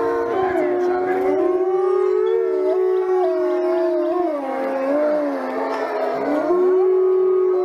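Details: Wolf pack howling together, a loud chorus of many overlapping wavering howls rising and falling at different pitches, with yips and quavers woven through, continuous for the whole stretch.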